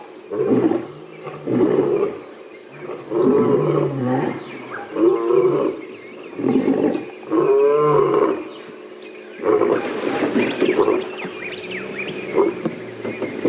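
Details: Several lions roar all around in deep, rolling bouts, each swelling then fading into grunts, from different directions, at a carcass during a morning safari drive, possibly lionesses and male coalition members.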